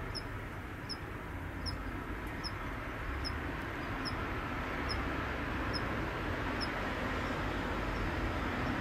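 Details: Late-autumn Ornebius kanetataki, the Kanetataki cricket, singing as the weather cools and its calling season ends: a steady series of sharp, high, bell-like ticks about every 0.7 seconds throughout, with constant low road traffic rumble.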